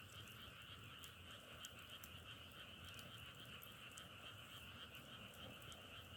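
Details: A thick chorus of frogs keeps up a rapid, rattling trill without pause, forming two steady pitch bands, joined by intermittent sharp crackles like a wood fire.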